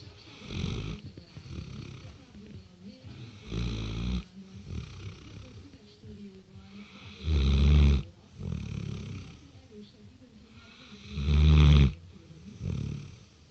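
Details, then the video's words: Six-month-old Great Dane sleeping and snoring: low, rumbling snores come about every four seconds, with softer raspy breathing between them and two louder, deeper snores in the second half. "Great dane snoring"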